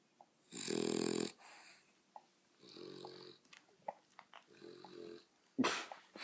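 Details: Domestic dogs producing odd noises inside a room: a loud rasping wheeze, then two softer snorting bursts with faint clicks between them, ending in a sudden sharp, bright squeak.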